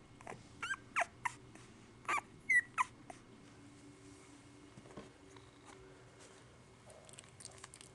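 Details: One-week-old American Pit Bull Terrier puppies, a litter of seven, give a burst of high squeaks and short whines in the first three seconds, then fall mostly quiet, with a low indoor hum and faint rustling.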